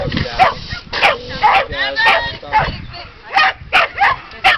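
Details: Border Collie named Fig during an Excellent FAST agility run in Charleston on 4/26/09, barking in sharp bursts every half second to second while people talk and call out nearby.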